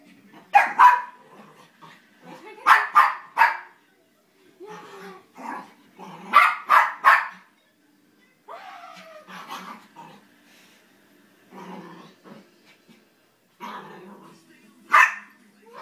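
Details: Josie, an eight-month-old female Havanese, plays wildly indoors with sharp, high yipping barks. They come in quick bursts of two or three, with short pauses and softer whines between. A person calls her name.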